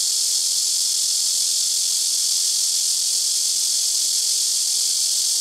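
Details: Very noisy blackish cicada calling from a tree beside a house rooftop, where several trees take turns; a continuous shrill, sizzling buzz at constant loudness, with a faint steady low tone beneath it.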